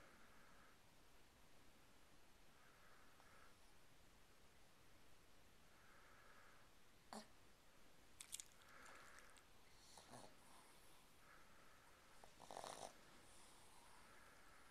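A Boston Terrier snores softly, with a breathy rasp roughly every three seconds.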